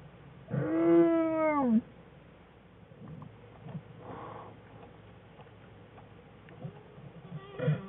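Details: American black bear cub crying loudly in the den on February 21, 2013, while Jewel and cubs Fern and Herbie play: a single strong, harmonic cry falling at its end, then quiet shuffling and a brief final squeal.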